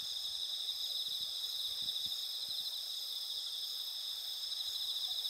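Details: Autumn insect voices over moonlit paddy fields in Asuka village, Japan, on a clear night of 20 September 2021, captured with a Sony a7SIII: unbroken high ringing trills layered into a thick, even chorus.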